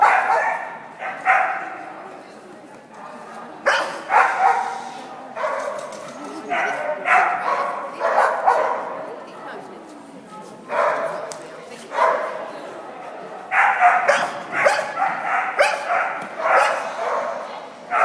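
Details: Dog barking persistently in short, sharp, repeated bursts, often doubled or tripled with brief pauses between runs, against people talking in the background.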